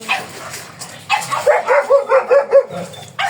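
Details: Black German Shepherd Dog at Manaoag, Pangasinan, brought for stud service; a quick run of six short, even barks near the middle, with a louder bark opening and closing the stretch.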